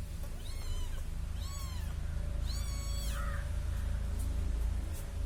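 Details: Cute little kitten following a person; three clear, high arched meows about one second apart, each rising then falling, followed by a softer short note over a constant low rumble.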